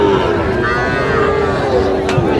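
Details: Sahiwal cattle among bull calves for sale at a Narayanganj cattle market, Bangladesh, 21 August; a long, low, even moo holding one steady tone for about two seconds, a brief higher bleat-like lowing mid-way, people speaking and bustle around.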